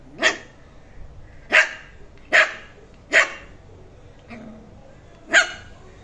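A Shih Tzu puppy gives sharp, high-pitched yaps, six in a row at uneven intervals.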